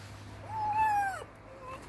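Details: Red fox named Yasha, in a bad mood, gives a single drawn-out whine, level then falling away, roughly half a second long, followed by a faint short whimper over a low steady hum.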